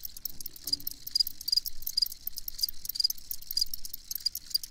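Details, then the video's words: Crickets chirping, with short, thin, high-pitched chirps recurring about every half second over a steady hiss of fast, high clicking insect noise. "Crickets Chirping"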